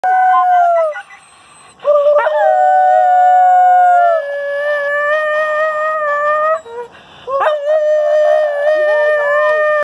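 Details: A neighbour's timber wolf (Canis lupus) gives long, steady howls, each sliding up quickly and then holding a smooth, even pitch.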